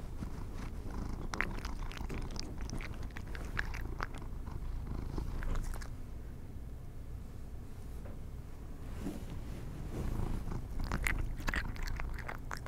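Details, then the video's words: Pet cats snacking on treats: steady low purring throughout, with bursts of rapid crunchy chewing in the first few seconds and again toward the end, a calmer stretch between. "ASMR Cat Treats for My Kitties (CUTENESS OVERLOAD)"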